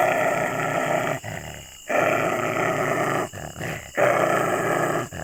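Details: Aggressive dog growling and snarling in long, rough, continuous stretches broken by brief breaths, a deep raspy rumble with no clear pitch.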